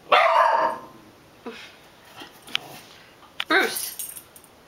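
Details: Bruce, a pet puggle, barking indoors: a loud harsh bark opens, followed by a few shorter fainter yaps and another burst of barking near the end, with a person calling his name nearby.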